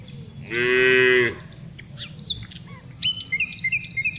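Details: A single steady, droning moo from a tame cow being herded in the afternoon, lasting under a second, followed by a busy mix of chirping birdsong.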